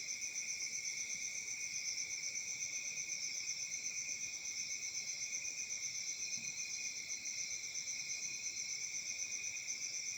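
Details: Many crickets chirp through a peaceful African summer night, forming a constant high, ringing trill in stacked pitches that pulses rapidly and evenly from start to finish.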